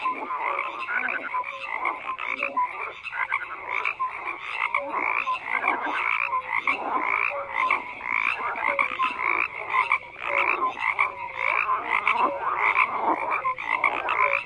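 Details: Many frogs croak together in a steady, thick chorus: rasping pulsed calls and brighter chirps overlap, with loudness rising and falling in waves but never dropping to silence.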